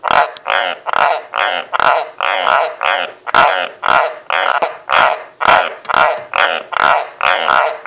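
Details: White's tree frogs (Ranoidea caerulea) croak on command, a steady run of hoarse, barking croaks about two each second.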